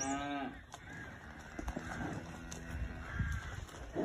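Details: Cattle lowing on a farm where a new Hereford bull has been introduced to Holstein Friesian heifers: a harmonic moo opens the clip, followed by a longer, lower drawn-out moo in the middle, with birds chirping in the background.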